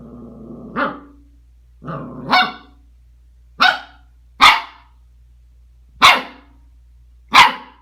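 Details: Angry Scottish Terrier, upset at being recorded, lets out six sharp, loud barks about a second apart, the first two preceded by a brief grumble, over a faint steady hum.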